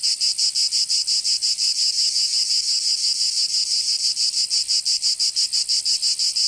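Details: High, shrill cicada song from a Provence summer in southern France, a continuous buzz throbbing in very regular beats roughly three each second, unbroken and free of other noises.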